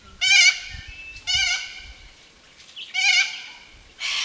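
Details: Feral goats giving loud, nasal, harmonic bleats: three strong calls spaced about a second and a half apart, the last trailing off, followed by a brief noisy burst at the close.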